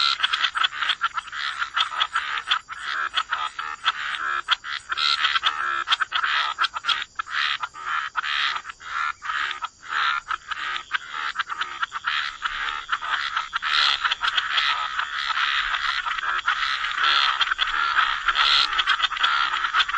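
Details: Dense chorus of croaking frogs by the waterside, harsh pulsed calls overlapping almost continuously, many callers at once with a steady high hiss above.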